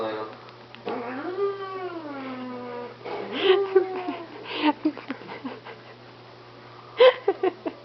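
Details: Pet cat near an iPod lets out a low, drawn meow that dips and then rises over about two seconds, followed by a person speaking and laughing with scattered clattering knocks.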